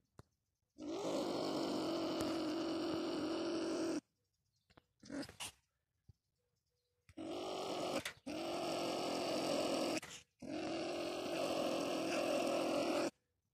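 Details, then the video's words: Marten caught in a live trap baited with live bait, giving long harsh raspy growling calls of about three seconds each, separated by short pauses, with faint rustling between them. "Куница попалась"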